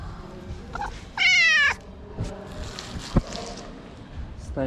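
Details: Hungry stray street cat in Morocco sniffing the camera while waiting for food gives one loud, steady, harmonic-rich meow lasting about half a second, followed by a person talking in Arabic and a sharp click.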